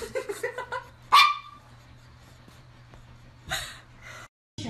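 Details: Dogs at play, in a funny mix: a quick run of six or so short, high yips in the first second, then one sharp, loud bark. A softer bark comes near 3.5 seconds over a steady low indoor hum.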